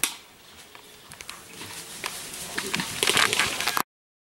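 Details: Cornered white-lipped peccary clattering its teeth: a dense run of crisp, irregular clicks and crunching snaps that grows steadily louder and busier before cutting off abruptly.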